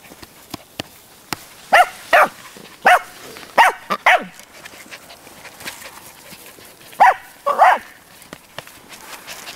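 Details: Cairn Terrier puppies at a breeding kennel, Clos Bayonnais in Escaudes, France, giving short high yapping barks in clusters of two or three, with pauses between, over a quiet background with faint clicks.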